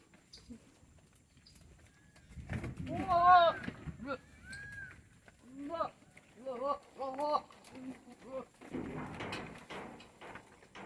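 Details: Tellicherry goats on a farm: a wavering, harmonic bleat near three seconds, then a run of short, clipped bleats repeated about every half second, with human voices talking in between.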